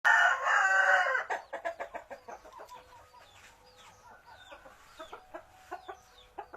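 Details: Village fighting cock gives a loud, harsh, drawn-out crow lasting about a second, followed by a run of quick clucks and high thin chirps from other birds.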